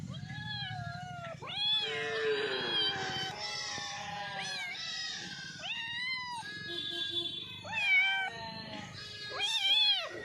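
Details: Several cats meowing while eating, loud overlapping meows with rising and falling pitch, crowded one after another, with a low rumbling background.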